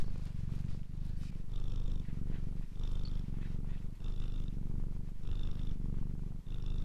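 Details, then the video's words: Close, low rumbling purr from a domestic cat, unbroken throughout, with light airy breaths rising above it at roughly one-second intervals. "Ralaxing Cat music for Calm Cats and Kitten [Cats Breathing]"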